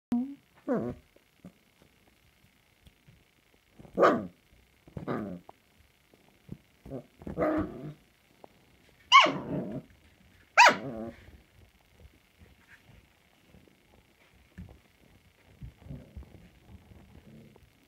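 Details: Samoyed puppies, recorded 16 March 2020, give scattered short barks and yelps with long quiet gaps, some louder barks near the middle and softer grumbling toward the end, in a small indoor room.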